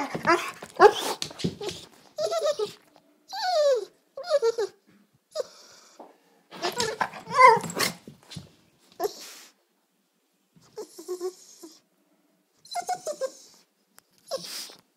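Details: Sisko the dog makes funny dinner-time noises: irregular bursts of squeaky, sliding whines and grumbling yelps with some rough, noisy growl-like passages, separated by quiet gaps, indoors.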